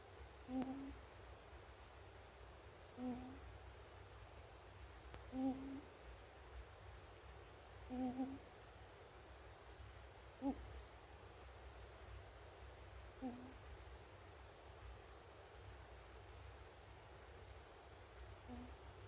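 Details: Pet ferret aged one year six months asleep, giving gentle 'puu-puu' snores: short low puffs roughly every two to three seconds, fairly regular, against a quiet indoor background hum.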